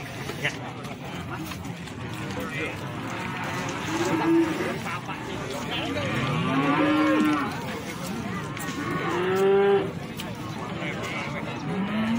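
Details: Cattle at the Plaosan cattle market in Magetan, Indonesia: several overlapping moos, rising and falling, one near four seconds, a longer one near seven and another near ten, over a steady murmur of crowd and market noise.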